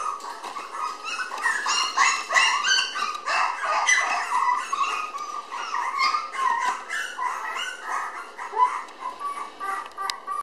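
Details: A 700 g red Toy Poodle girl puppy, born 20 May and filmed inside on 30 June, gives a steady, restless stream of short squeaky yaps and whimpers, several each second, without a break.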